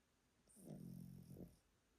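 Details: Elderly Pomeranian named Yotaro, kept at a relative's home in Japan, snoring loudly while asleep: a single low, rumbling, grunting breath lasting about a second, with faint hiss above, in a quiet room.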